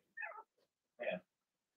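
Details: Young Blenheim Cavalier King Charles Spaniel puppies, Remy's first litter of six, in a home puppy pen; two short whimpering yelps, the first higher and falling, the second lower and fuller, separated by a brief pause.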